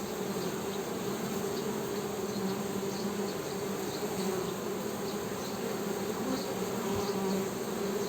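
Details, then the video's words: Honey bees humming: a steady, low, buzzing drone with two even tonal bands that holds unbroken at an even loudness throughout, with faint higher ticks and a thin high whine in the background. "HONEY BEE'S HUMMING SOUND"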